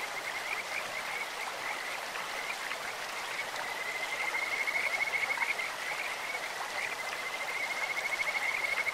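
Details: Kajika frogs singing in a clear stream with a birdlike or insectlike voice: repeated high, pure whistled notes that run into a longer trill midway, set against the continuous hiss of the flowing stream.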